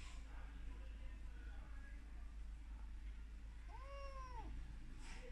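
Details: Abandoned kitten playing inside a stool gives a single short meow, rising then falling, midway through, against a quiet indoor background hum.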